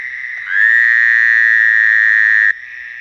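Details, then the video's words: One frog at night gives a loud, sustained buzzy note lasting about two seconds. It rises briefly at the start and then holds steady over a softer, continuous chorus of other frogs. "Frog crying at the night time, crying or singing?"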